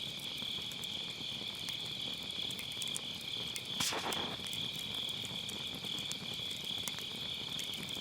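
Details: Grass insects on an autumn night beside a round campfire pit, recorded with a Sennheiser MKE600 using low cut: steady high shrill trilling from many insects, with a soft burst of fire crackle near the middle.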